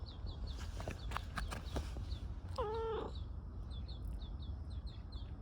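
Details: Park-dwelling tortoiseshell community cat, nuzzling and begging for attention, utters one short, strong, rich meow halfway through; a few soft taps come before it, and bright repeated chirping and low rumble continue throughout.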